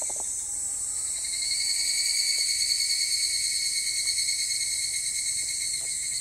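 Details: Higurashi cicada singing on 25 July 2010, mid-afternoon. A continuous high-pitched buzzing chorus with stacked ringing tones swells slightly after the first second and then stays level. Faint taps and a quiet low rumble lie beneath.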